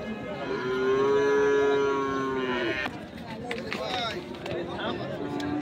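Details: Sahiwal breed bull calves being fattened, at the Ambari cattle market in Parbatipur, Dinajpur, on 10 February 2025: a long, steady, harmonic moo lasting about two seconds, then softer lowing amid crowd chatter and market bustle.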